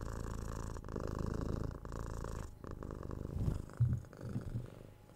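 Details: Kitten Tora, six months old, purring under head scratches and kisses, recorded binaurally with a 3DIO mic; low rolling purr with breathing gaps, then soft kissing and sniffing sounds over the last two seconds.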